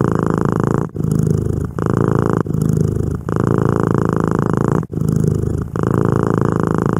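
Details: Close ASMR recording of a domestic cat purring. A deep, continuous buzzing rumble runs in alternating breath phases, with short breaks near every one to two seconds. No other sounds.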